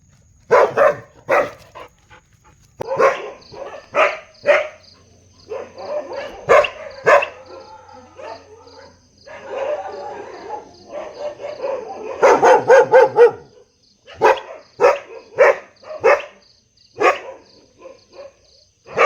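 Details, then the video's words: Large dog giving a long run of loud barks, some single and some in quick bursts of three or four, mixed with softer growly, whining stretches between bark bouts. "Big Dog Barking Sound Effect|dog barking sound"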